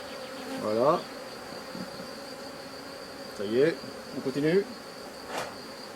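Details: Honey bees from a drone-laying colony during its rescue, a built but empty frame being set alongside; two short buzzy passes near one and four seconds, pitch curving up then down as bees fly close, over a faint steady hum.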